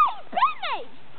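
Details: Dogs fighting, giving a quick burst of high, arching yelps that rise and fall in pitch, three or four overlapping cries within about a second, over a faint background hum.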